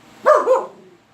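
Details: Kris, a dog reacting to strange noises, gives a quick double bark: two sharp, close-set woofs with strong mid-range harmonics, fading within a second into a quiet room.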